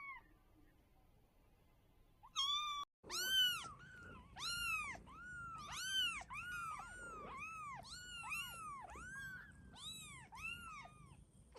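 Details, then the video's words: Kittens meowing steadily, a chain of short arched mews, each rising then dropping, repeated roughly twice a second for about eight seconds after a brief quiet start. "Kittens meowing - funny cat sounds"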